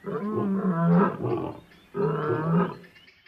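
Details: Lion in the African bushveld giving two drawn-out, throaty roars of about one and a half seconds each, separated by a brief pause.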